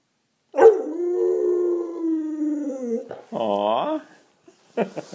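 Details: An English Springer Spaniel howls in a long, steady, slightly falling tone lasting over two seconds, then gives a shorter rising howl, followed by a few brief faint sounds.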